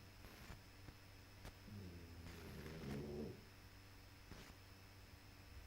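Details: Sleeping puppy snoring: one drawn-out, low, rasping breath with layered buzzy tones, swelling for about a second and a half before fading, in a quiet room with faint background hum.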